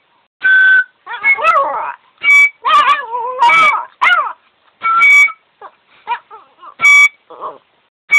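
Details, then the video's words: Yorkshire Terrier howling along with music: quavering, bending howls and short yelping notes alternate with bright, sustained instrument tones that come back roughly every second. "Śpiewający York Yorkshire Terrier"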